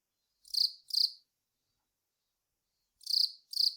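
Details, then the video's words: Velarifictous aspersus cricket chirping: a pair of short, harsh, high buzzes, a pause of nearly two seconds, then another matching pair, background silent. "くちの長ーい クチナガコオロギの鳴き声"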